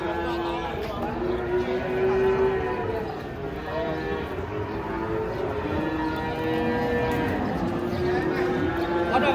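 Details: Very large cattle, said to be the biggest of the morning and refusing to be weighed, at an Indonesian livestock market: several drawn-out tonal moos spread through the clip, with people talking and busy outdoor noise.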